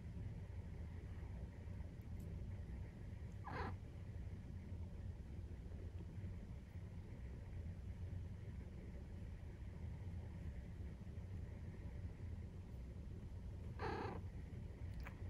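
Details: Nursing-time purring from Maine Coon cats with a 43-day-old kitten: an unbroken deep rumble fills the recording, interrupted twice by brief broad rustling or bumping noises around the fourth and fourteenth seconds.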